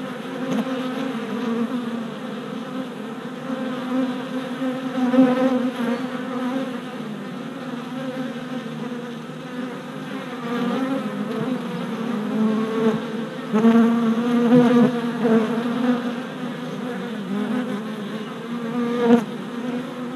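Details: Worker honey bees making orientation flights at a new deep hive four days after a package was installed, 27 April 2017, filmed on a GoPro Hero Session 5: a dense, continuous droning buzz of many wings, swelling and fading in waves.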